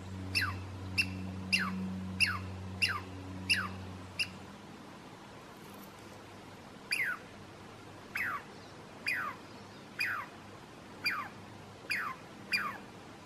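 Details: Douglas squirrel alarm calling on a hike to Stump Lake in Alice Lake Provincial Park: sharp descending chirps repeated roughly every half second, a pause, then a second run of about eight similar downward calls; low hum early on.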